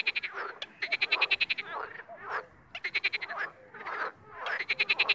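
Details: Frogs in the wild calling in short rapid trains of sharp clicking pulses, each burst lasting under a second and repeated about every second, with softer nasal notes between.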